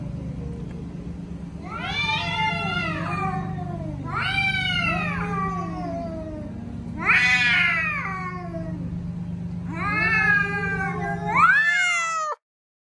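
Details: Male cats making their loud noise: long, wailing yowls that swoop up and bend down, repeated about five times, each several seconds long, over a low steady background hum.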